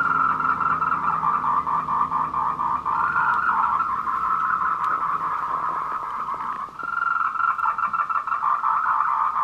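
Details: Afternoon courtship chorus of tree frogs, 14:00 on 26 April 2018, Meiling Wulong Trail in Nanxi, Tainan, Canon PowerShot SX720 HS; buzzy pulsed trilling continues almost without break, dipping once before resuming, with a faint low hum early on.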